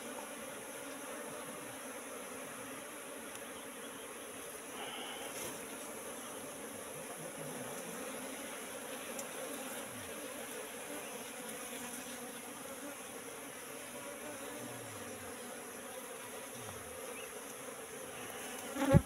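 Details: A wild colony of Asian honey bees settling into a trap box left out for three months, heard as a soft, even buzzing drone throughout, ending with a sudden loud knock.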